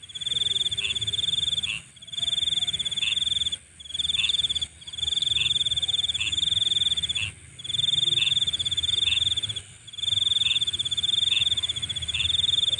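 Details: Night insects chorus: loud, high, shrill buzzing trills in bursts of about two seconds, broken by short pauses, over a constant high-pitched hiss from other distant callers.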